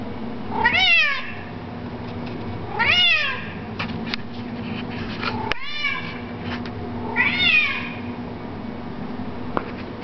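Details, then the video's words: Kito, a domestic cat with a distinctive loud voice, recorded in 2007: four drawn-out meows with falling, harmonic-rich contours, spaced about two seconds apart over a low steady room hum. "Kito: monkey tail and loud voice"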